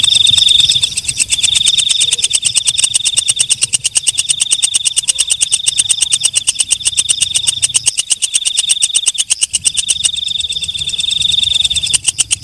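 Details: Nocturnal katydid known as walang kecek keeps up a piercing high buzz with rapid regular clicks, a few brief breaks in the trill, and a faint low hum underneath.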